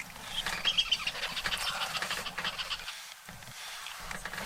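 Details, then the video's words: On a safari bush walk in the morning, a tree squirrel up in a tree scolds with rapid, harsh chattering alarm calls, several each second, at a young male lion nearby in thick bush. "As the male lion headed into the thick bush, we had a clue he was nearby by a very unhappy tree squirrel giving out alarm calls."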